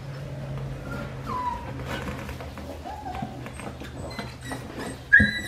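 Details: Four-week-five-day-old Australian Shepherd puppies of Winnie's litter, filmed indoors: a few thin whines over a steady low hum, ending in one sharp, louder squeal.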